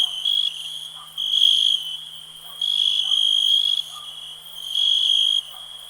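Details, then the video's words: Cricket chorus for relaxation: a continuous high-pitched ringing tone, louder pulsed bursts lasting about half a second recurring roughly every second and a half, and faint soft chirps in the background. "Nature sounds, cricket relax"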